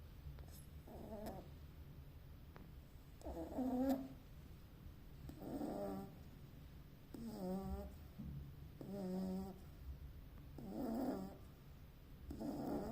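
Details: Snoring from a sleeping Beagle puppy: a series of about seven gravelly, wheezy inhalations at uneven intervals of roughly one to two seconds, some louder than others, with a low constant hum behind.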